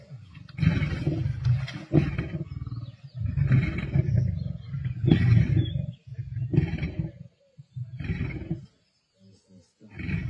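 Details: Male lions of the Black Dam coalition feeding alongside the Avoca Pride, 31 March 2024, Sabi Sands: a series of deep, throaty growl bouts lasting one to two seconds each, separated by brief pauses, with rasping higher snarls on top.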